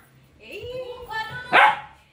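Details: Dyna, a three-month-old Labrador Retriever puppy, plays with a grandmother and asks for tea: a drawn-out whining tone rises and falls, then a single sharp bark bursts out near the end, with a woman speaking around it.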